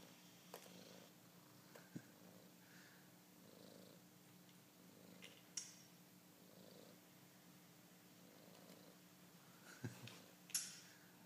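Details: Pet cat watching a mouse play on a screen, purring softly in steady pulses close to one per second, low and breathy, with a constant electrical hum and a few sharp clicks.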